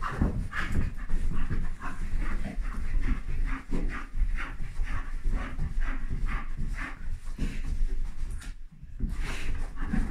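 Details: Bull Terrier Dougie, in the morning, trying hard to get his just-woken mother to play: a dense, continuous run of low, rough grumbling and panting huffs, with a woman talking to the dogs.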